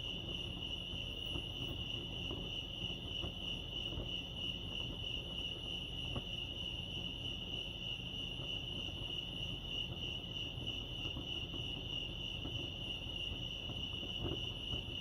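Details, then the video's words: High, shrill cricket chirping at Lake Arrowhead, California, pulses quickly and constantly from start to finish, with a quiet low background hum. "Serenity sounds crickets chirping lake arrowhead"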